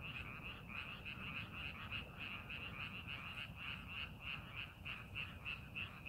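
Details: Frog chorus in rice paddies during farming preparation: high, metallic croaks pulse steadily about three times each second in a fairly even rhythm, with a soft low rumble underneath.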